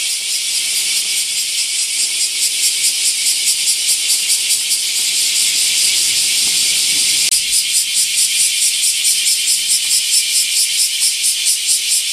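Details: Mass chorus of bear cicadas near giant camphor trees at Daitokuji Park in Nagasaki, Japan, in summer: shrill, sizzling buzz throbbing in quick regular pulses, the beat sharpening toward the end.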